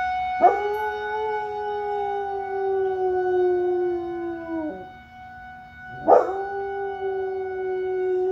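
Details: Rottweiler howling along with a fire alarm: a long, steady, slightly falling howl lasting about four seconds, a short pause, then a second howl rising into the same pitch, all over the alarm's continuous shrill electronic tones.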